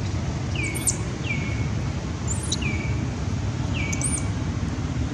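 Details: Baron, a baby monkey carried off by the monkey Bridget, cries out for its mother: four high descending wails with short squeaky upper notes mixed in, over a dull low background rumble.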